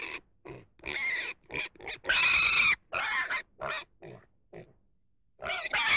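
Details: Pig producing a rapid run of short, harsh squeals and grunts, then one longer, louder squeal, a pause of silence, and a final shrill squeal at the end.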